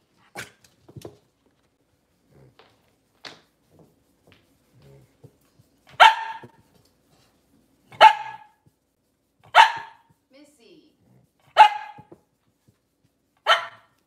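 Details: Cavalier King Charles Spaniel barking in a small indoor kitchen space on a cloudy Monday morning; after faint clicks and rustles, five crisp single barks come roughly every two seconds.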